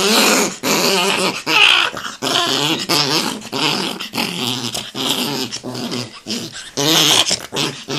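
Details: Angry Chihuahua indoors in a small room, growling continuously with rough snarling growls broken by short pauses and whiny high yelps, roughly every second.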